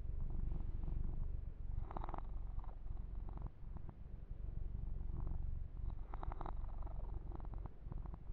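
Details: Purring male kitten being massaged and groomed indoors, an unbroken low buzzing rumble with intermittent rustling strokes over the fur.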